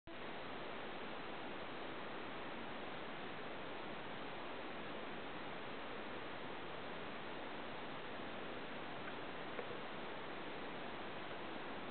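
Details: Steady broadband hiss fills the whole stretch, with nothing else standing out.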